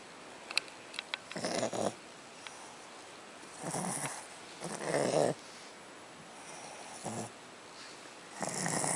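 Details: Zoe, a female pet Chihuahua, makes funny noises when someone tries to take her bone: short, rough, breathy grumbling bursts, about five across nine seconds, with a few sharp clicks between them in a quiet room.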